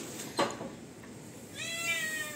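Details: A demanding pet cat lets out one sustained, whiny meow after a knock and some quiet murmuring, its tone holding steady then fading.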